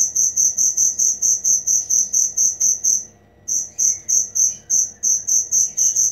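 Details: High, pulsing cricket chirps in a regular beat, broken by a short pause of about half a second before resuming at the same pitch; faint soft chirps behind.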